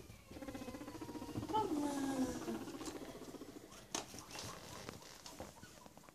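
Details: Guinea pigs Chucky and Stephen come back from their daily outside activity to a completely rearranged house; a low, buzzy, pulsed purring rumble with stacked overtones lasts about three seconds, followed by soft rustling, pattering footsteps and clicks.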